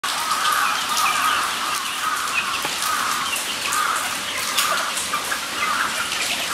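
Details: Guinea pigs at Nogeyama Zoo, recorded 23 September 2012, giving a continuous chorus of high squealing whistles, each call swelling and fading in steady overlapping bursts about a second long, with a constant background hiss.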